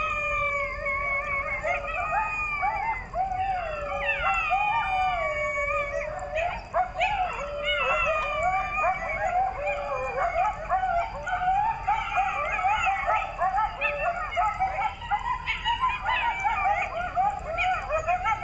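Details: A coyote pack howling at night near wooded foothills of the Appalachians in North Georgia: many voices at once, wavering howls mixed with rapid yips and quavering barks, a dense overlapping chorus over a constant high insect drone.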